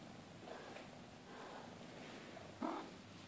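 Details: A Maine Coon mother cat with her 2-month-old kittens at a breeding cattery: a soft, low purr-like rumble, then one brief, clear meow near the end.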